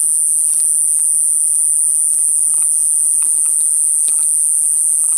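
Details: A buzzing katydid, possibly Pseudorhynchus lessonii (ID unconfirmed), found 4 September 2020 in the Coffs Harbour region, NSW, Australia, gives an intense, unbroken high-pitched buzz that holds steady throughout.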